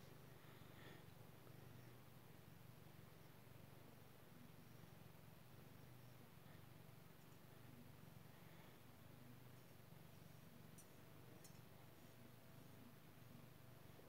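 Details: Pet cat purring steadily while being scratched with a head scratcher indoors, a low continuous rumbling throb with a faint rhythmic pulse throughout, quiet room with a few soft clicks.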